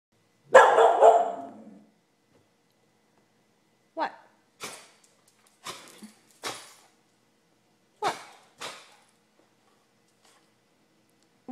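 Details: Pet dog at home, unusually chatty for no reason, gives one loud harsh bark followed by several short, softer sounds while a person asks what it wants and what is out there.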